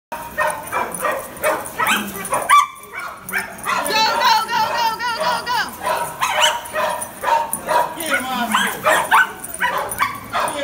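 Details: A Cairn Terrier lure chasing gives excited, high-pitched barks and yips in quick bursts, with people talking.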